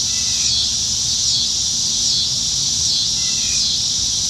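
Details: July 2019 evening cicada chorus from trees in Nebraska, dog days of summer: a loud, constant high whine with slight rhythmic wavering about every second, plus a faint brief chirp.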